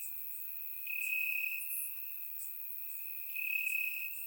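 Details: Night chorus of crickets in summer grass, Bulgaria: a continuous high-pitched trill that brightens and grows louder twice, layered with faint very high ticking from other insects.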